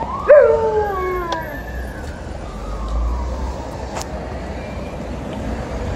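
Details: Female Alaskan Malamute howling during her noon walk: one brief clear howl near the start that slides downward and fades within about a second, followed by steady outdoor hum and a faint click.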